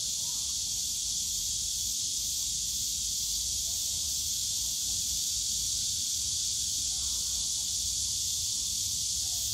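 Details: Loud cicada chorus from the Yongsan Family Park bamboo forest in summer, an intense, even, high-pitched buzz sustained without pause, faint low background rumble.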